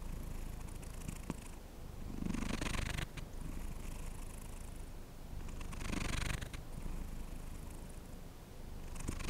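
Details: Cat purring close to the microphone: continuous deep throbbing hum at roughly 214 beats per minute, broken by hissy breath surges around the third, sixth and ninth seconds.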